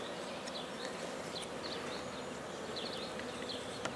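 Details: Black bees during the start of a beekeeping colony at Guernay, Côtes-du-Nord: a steady, low, even buzzing hum throughout, with faint brief high chirps scattered above it.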